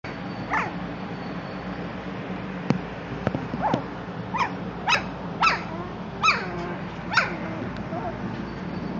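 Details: German Shorthaired Pointer puppies at a kennel, giving a string of short high yips and squeaky barks, each with a sharp rising-then-falling arc, coming roughly every half second to second in the second half, over steady indoor background hum.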